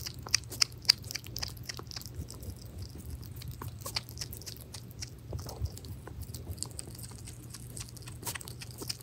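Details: Pet hedgehog Pirozhok chewing minced meat indoors; crisp, fairly regular clicking smacks about three or four per second, a few louder snaps early on, over a faint low hum.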